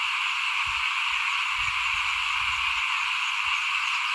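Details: Front-yard frog chorus at rice-sowing time in 2021; a thick, steady mass of calls runs throughout, with a few soft low thumps under it.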